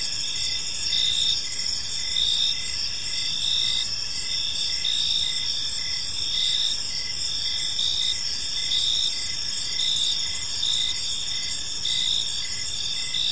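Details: Gentle chirping of crickets in a serene park at evening, many insects overlapping in a ringing high chorus, bursts of chirps repeating about once per second over a faint low rumble.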